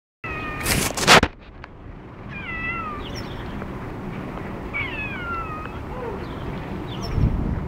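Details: A cat out on a walk gives repeated high, squeaky meows with falling, wavering tones, several in a row, after a loud knock or clatter at the start; steady outdoor background hum.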